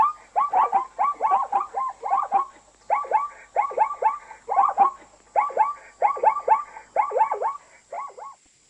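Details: Sustained neighing from an African zebra: regular bouts of three to four rapid arched yelping notes, each bout about half a second apart, continuing evenly throughout with little else heard.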